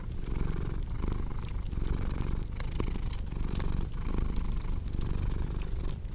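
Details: Rumbling purr from a cat, deep and buzzy, pulsing with in- and out-breaths about once a second, accompanied by scattered sharp snaps of a crackling fire.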